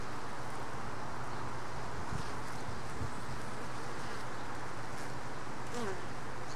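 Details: Honey bee workers at a hive, one struggling with a mite before walking into the box. Steady deep buzzing hum with a constant drone tone, two short thumps early on, and a faint squeaky sweep late.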